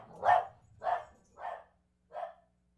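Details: A puppy barking in the background of a home room. There are four short, sharp yips, each a little softer than the last, spaced about half a second apart, with a longer gap before the final one. The room is otherwise quiet.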